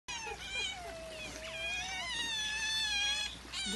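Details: Otters seen on Saturday 24 February, giving high, wavering squeals with rich harmonics, some notes bending down then holding level, nearly continuous for several seconds.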